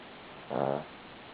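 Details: Cavalier King Charles Spaniel snoring in its sleep: one brief, buzzy, harmonic snort lasting about a third of a second, with steady low room hiss around it.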